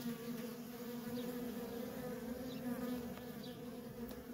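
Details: Busy worker bees at a wild honey bee colony produce a loud, even hum with a steady pitch, faint zips of individual bees and a couple of soft clicks.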